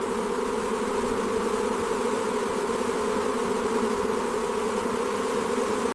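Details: Honey bees kept for honey production give a dense, steady buzzing hum, a low droning tone with overtones that holds unchanged for the full six seconds, with no other clear sounds.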